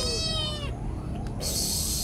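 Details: Pet cat called Boy, a noisy cat, letting out a short bright meow in the first moment that ends abruptly, followed by background hiss and a brief knock.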